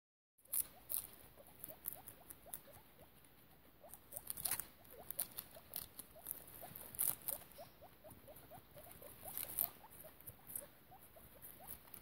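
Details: Guinea pig mother named Piggie Minaj with her babies in foster care: soft, short rising squeaks repeated several times a second at a steady pace, over sharp clicking and rustling of bedding.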